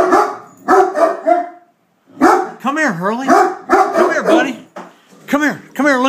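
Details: Great Dane going after a beer keg, barking in short rough bursts, several in quick succession, while a man repeatedly calls the dog over and talks excitedly about the keg.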